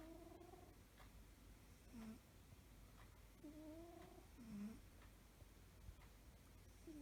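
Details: Soft snores from a cat asleep at home: gentle rhythmic breaths every two to three seconds with a light whistling tone and a low rasp closing each, steady hiss behind.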